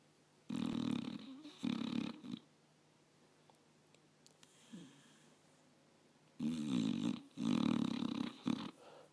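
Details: Five-year-old pit bull peacefully sleeping in its owner's lap, snoring while dreaming; rough, wheezy snores come in a cluster of three short bursts, then a quiet pause, then another cluster of four bursts, each breath a brief raspy rumble.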